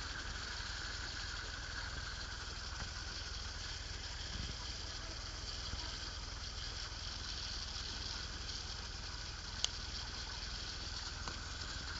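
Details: Steady engine-like hum and broadband background noise with no clear animal calls.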